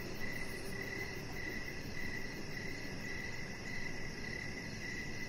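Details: In the evening outside on a deck, crickets chirp in a steady rhythm of brief notes about twice a second, layered over a soft high buzz and constant low background rumble.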